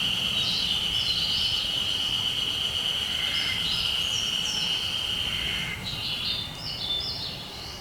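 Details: Japanese spring cicada calling, unusually for the time of year; a steady shrill buzzing drone held high, with fainter overlapping buzzing above it that fades slightly toward the end.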